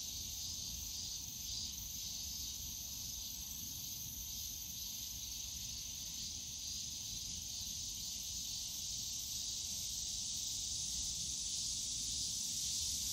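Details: Cicadas in the bamboo forest of Yongsan Family Park in summer, a quieter high buzzing drone with a slight pulsing swell early on, then steady and gradually louder, over faint low rumble.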